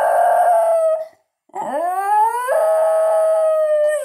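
A Basenji yodels, a sustained tonal howl that breaks off, then swoops upward and holds steady.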